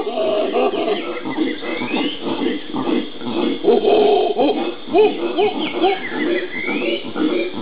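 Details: Howler monkeys (Alouatta) in the Pantanal, Brazil, recorded 13 January 2011, roar in a deep, guttural chorus of overlapping grunting howls.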